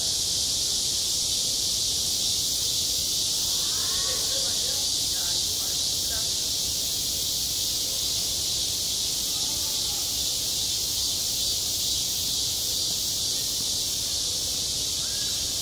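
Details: Cicadas shrilling nonstop over a school playground in midsummer: a thick high-pitched hiss at constant level, with low distant chatter and a short burst of voices around the middle.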